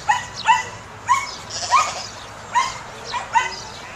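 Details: Samoyed dog during herding; quick, high yappy barks, about seven in four seconds, unevenly spaced.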